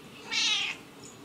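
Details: Moody black and white house cat making a single harsh, breathy burst lasting under half a second, bright and noisy in the upper range, in a quiet indoor room.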